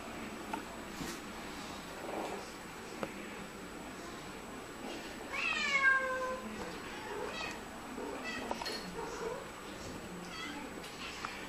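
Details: Two Siamese cats "talk" to each other, trading loud, drawn-out meows, one a strong wavering yowl that slides downward.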